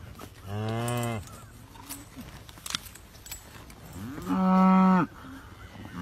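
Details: A cow bellows while being tagged, with a horse protecting the cowboy from it. Two drawn-out, strongly harmonic moos, the first near the start and a louder, steadier one about four seconds later, with faint thumps between them.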